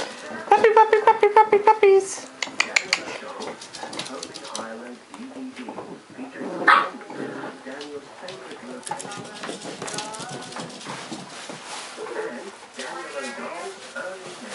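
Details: Seven Cardigan Welsh Corgi puppies, eight weeks old, playing: a quick run of shrill repeated barks at the start, then scattered yelps, growls and scuffling, with a person calling the puppies by name.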